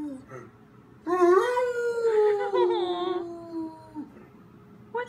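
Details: Lonely pet dog crying indoors while its owner is away: one sustained howl that rises, holds, and then slowly falls over about three seconds, with a faint whimper before and after.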